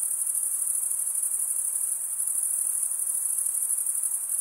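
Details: Male crickets stridulating, rubbing one wing's edge along the toothed vein of the other, make a steady, dense, very high-pitched trill. It runs unbroken with a faint fast pulsing and no other sounds.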